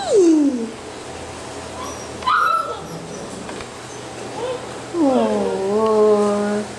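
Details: A falling whimper from Basset Hound puppies opens, a brief higher squeak follows midway, then a long rich whine slides down and holds steady near the end.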